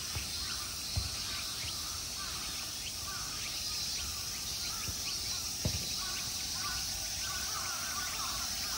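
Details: Insects calling in summer at Ikegami Honmonji temple park, Tokyo, Japan, form an unbroken shrill drone high above a few sharp knocks and scattered faint chirping notes.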